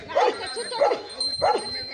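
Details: Rottweiler fighting a cobra, giving three sharp barks about every 0.6 seconds, with people talking excitedly around it.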